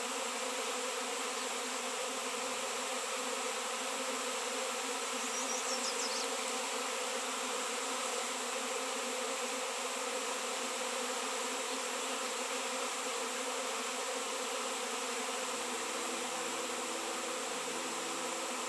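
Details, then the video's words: A swarm of honey bees reacting to a raw 7 lb shungite piece, the first seen locally in years, produces a steady, rich hum of overlapping wingbeats, with a faint thin chirp near the middle. "Shungite honey bees swarm"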